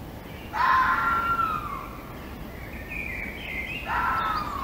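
A fox gives loud, drawn-out whining cries that slide downward, against a soft background hiss.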